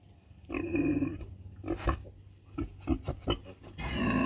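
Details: Mother pig on the street with her piglets: a drawn-out nasal grunt, then a run of short clipped grunts and squeaks, ending in another long grunt.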